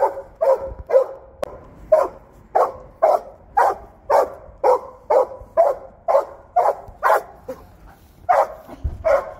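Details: Working Belgian Malinois barking steadily from start to end, with harsh, punchy barks about twice per second, each short and evenly loud, in a quiet background.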